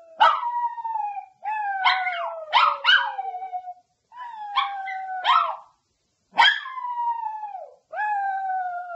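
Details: Pet dog delivering falling howls mixed with sharp barks and yips, in bursts separated by short silences.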